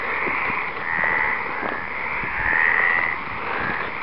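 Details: A dense chorus of many Stripeless Treefrogs (Hyla meridionalis) calling in the background, a steady blend of croaking calls swelling and fading, in the Western Algarve, Portugal, in February 2011, near Western Spadefoot Toads.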